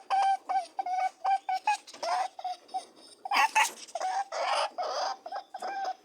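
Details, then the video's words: Mating rabbits make quick humming honks in a rhythmic series, broken by loud breathy grunting and rustling bursts, then a few more honks. "Buzzing/ humming and grunting/ honking sounds of mating rabbits"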